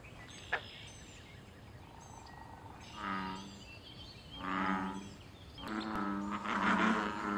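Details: American bullfrog calling from a wild pond during mating and territorial activity: three deep, throaty drawn-out croaks that grow louder one after another, with high thin bird chirps above.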